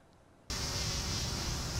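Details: A wild bumble bee gives a loud, steady, rough buzz while vibrating a flower to release pollen onto its body, called sonication or buzz pollination.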